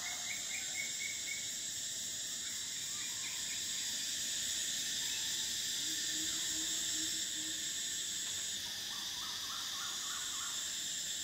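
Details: High, continuous metallic buzzing of cicadas on a summer day, joined by quick stuttering chirp series at the beginning and end and a soft low hum in the middle.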